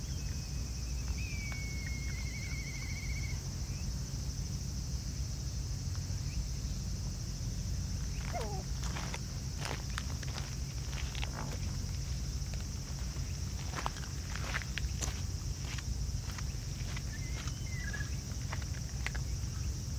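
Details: Family of raccoon dogs eating together, their crunching heard as bursts of crisp, irregular clicks clustered through the middle of the recording; a sliding whistled note sounds near the start over a steady low outdoor rumble.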